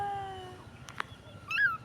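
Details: Stray street kitten, apparently blind and searching for its mother, letting out a single short, thin mew that bends upward then drops, after a steady tone and a soft tap.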